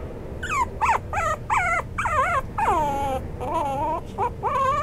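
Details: Maltipoo of Toy Poodle and Maltese parentage whining in drawn-out, wavering cries, some short and some held longer with bending pitch, following each other closely with little pause.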